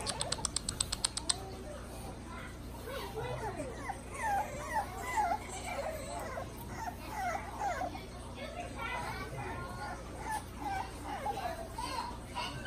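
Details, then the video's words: French Bulldog puppies recorded on 26 November 2019. A litter chorus of high, squeaky whines and squeals, some rising and some falling, overlaps almost continuously. A rapid burst of clicks opens the recording over a steady low hum. "French puppies"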